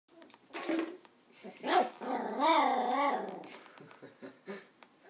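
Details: Nine-week-old West Highland white terrier puppy named Doc, indoors, reacting to an empty coke bottle; a long harmonic whining growl rising and falling near the middle, with short yaps before it and quieter sounds after.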